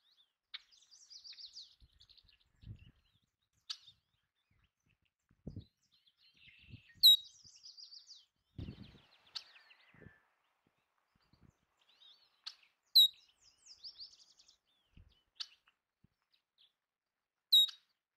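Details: Belding's ground squirrels, also called sage rats, eating bird food: three loud, sharp, high squeaks about five seconds apart, each a short bright chirp, over steady background twittering of small birds and soft low thumps.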